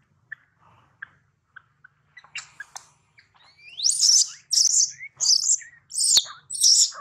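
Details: A baby monkey separated from its mother after being taken by another monkey gives piercing, high squeals in repeated bursts, some sweeping upward, after soft clicks and chirps, crying for its mother.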